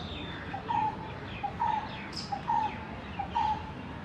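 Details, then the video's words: Squirrel near its den, filmed 27 March 2021, also seen eating green grass, gives a loud call: a short chip followed by a longer level note, the pair repeated about every 0.85 seconds, five times over a steady background hiss. "Squirrel loud sound"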